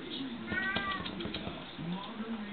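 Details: Playful black and white bicolour Persian kitten of show quality, uttering a brief thin rising mew near the middle amid scuffling, tapping and faint low background murmur.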